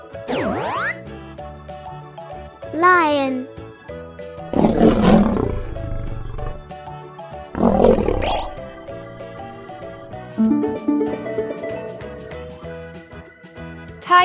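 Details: Tiger giving two deep, rough, breathy roars, each lasting a second or more, separated by a short pause, with cheerful children's music playing underneath throughout.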